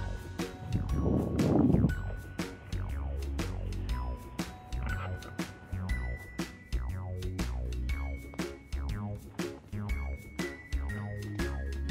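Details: Upbeat electronic music with plucked notes and a steady low beat, with a brief burst of voices early on; no animal sounds are heard.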